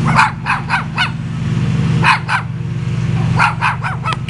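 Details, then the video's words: A visiting dog barks in scattered short bursts, some in quick runs of three or four, over a loud low rumbling background. "Barking Dog"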